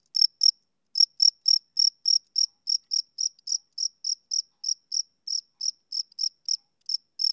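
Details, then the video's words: Chirping male cricket, summer evening: clean high-pitched pulses repeated steadily about every quarter second, a short pause after the first pair, against complete quiet. "Cricket Chirping Sound Effect"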